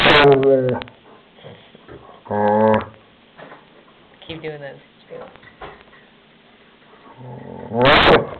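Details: German Shepherd Shelby, guarding her toy indoors, grumbles in a series of short, harmonic, talking-like growls, four louder bursts spread across the stretch with quieter murmurs between.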